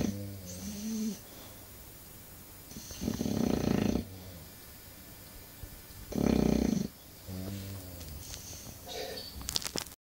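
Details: Snoring English Bulldog indoors, short harsh rasping bursts around three and six seconds between quieter droning breaths with wavering low tones, plus a few faint snorts and clicks near the end.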